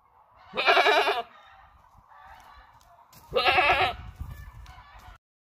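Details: Creamy white breeding buck goat in Buraydah: two loud, harsh, quavering bleats about three seconds apart, each lasting roughly half a second, with faint rustling and low thumps between them.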